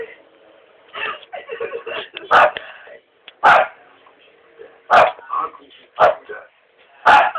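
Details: Pet dog giving about six loud, abrupt barks at uneven intervals roughly a second apart, with people talking between and beneath the barks.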